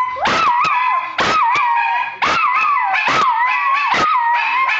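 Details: Couple of pet dogs singing: quick wavering howls with sharp yelping onsets, repeated about once a second, two voices tangled at slightly different pitches.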